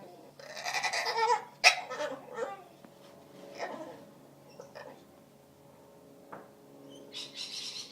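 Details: Lily, an Aussie Bulldog, producing odd Wookie-style noises indoors, a quick run of raspy, bleat-like yowls with a sharp squeak near the start, then quieter grumbles and a final rough burst.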